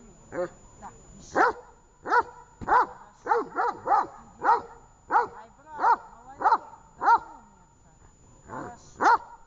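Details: Tash, a dog, during training in Horlivka on 18 August 2019. The dog barks loudly and steadily, about fourteen short, sharp barks in under ten seconds, with brief pauses between them in an otherwise quiet background.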